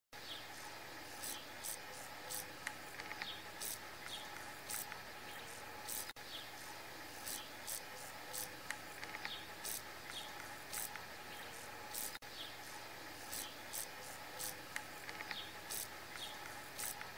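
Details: Grasshopper calling in a forest: short, dry, crackling buzz bursts repeated irregularly throughout, a few each second, over a steady, faint droning background hum with low rumble.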